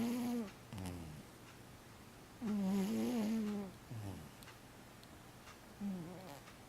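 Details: Cat snoring indoors. One clear, extended, humming inhale snore with a wavering pitch sits between a short snore at the start and a faint one at the end, each followed by a quick, husky exhale.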